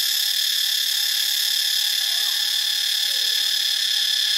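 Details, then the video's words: Cicadas in Thailand's Ubon Ratchathani province fill the air with an intense, even, high-pitched hum. Two faint, brief, lower warbling notes from another creature are heard underneath. "เสียงจักจั่น (Cicadidae)"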